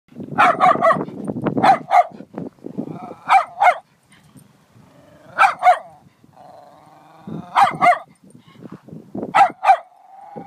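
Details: Dog barking in short sharp bursts, often in pairs, with pauses between volleys; some lower rumbling growl-like sounds underneath and a faint whine between barks.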